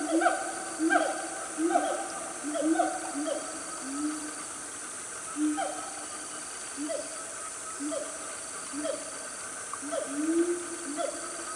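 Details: A noisy family of wild siamangs calling in Malaysia's Gunung Nuang forest, Selangor, mid-morning: a steady run of short hooting notes, each with a sharp falling upper tone, spaced roughly a second apart, over faint forest hiss.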